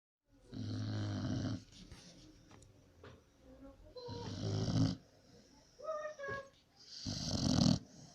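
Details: Sleeping Pit Bull snoring indoors; deep, rasping snores come in bursts about every three seconds, with faint music and tonal sounds between them.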